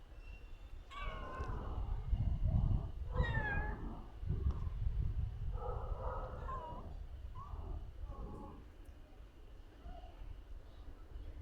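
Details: Resting street cat giving short meows, two clear rising-then-falling cries near the start followed by softer, lower mews, over a steady low background rumble.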